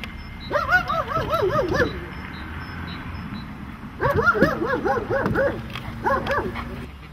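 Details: Dog in protection training barking hard and fast in three volleys, each a quick string of harsh barks, with a pause between the first and second.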